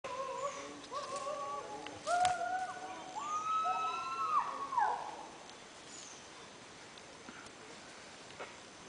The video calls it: Chimpanzees sounds --turn up the volume!